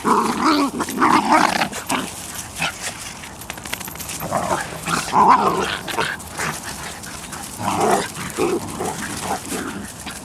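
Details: Bedlington Terrier mother Leya and her puppies of the Airy Step kennel on a walk, with rapid rough barks and growls in quick uneven clusters, loudest at the start and again near eight seconds.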